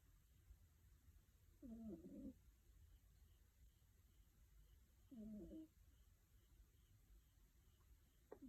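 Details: A sleeping five-month-old female kitten snoring: two short, soft, wheezy nasal breaths about three and a half seconds apart, each lasting roughly half a second, over a quiet steady background hum.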